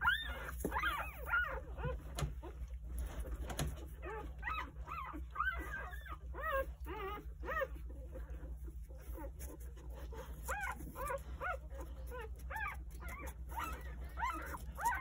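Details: Nine three-day-old Jindo puppies with their mother Sarang, who comes in from eating to nurse them at home; a busy stream of short, arched squeals and whimpers runs throughout, briefly pausing near the middle.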